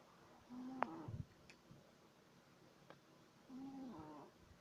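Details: A 3-month-old Shih Tzu puppy snores in its sleep, said to sound like a human. Two short, wheezy, tonal snore bursts with a slight pitch wobble come about three seconds apart, with quiet breathing noise and faint clicks between them.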